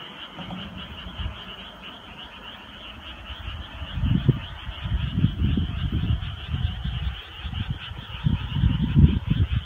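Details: Summer-night frog chorus: loud, low, rapid croaking bursts come in irregular clusters from about four seconds on, over a continuous high trilling background of many more distant frogs.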